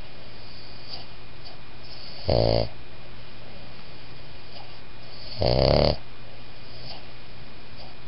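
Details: A sleeping Boston Terrier-Pug mix gives two rough, fluttering whisper snores, each under a second and about three seconds apart, with a steady low hum underneath between breaths.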